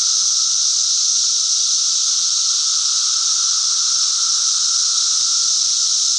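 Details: Cicadas singing: a steady, unbroken high-pitched buzzing drone with a fainter lower hum beneath, holding the same loudness throughout with no pauses and no other sounds.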